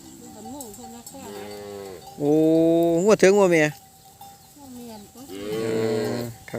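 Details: Calves separated from their mothers cry together in a loud chorus: several harmonic, wavering bawls of different pitches, one long loud bellow in the middle, and overlapping callers, with a faint steady tone running beneath.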